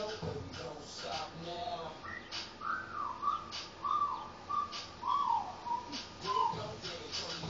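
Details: A female Basenji gives a string of wavering, warbling, yodel-like tonal bursts, each under a second, rising and falling in pitch, with soft clicks and faint room noise behind.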